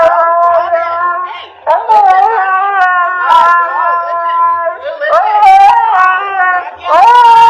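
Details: Several long, moaning husky puppy cries waver up and down in pitch, broken by brief pauses and sharp yelped onsets around two, five and seven seconds, with no other clear sounds.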